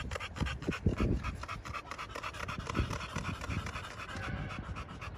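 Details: American Bully pocket dogs, young males at a kennel in Romania, panting in quick rhythmic breathy bursts with a few louder huffs early on, while people speak nearby.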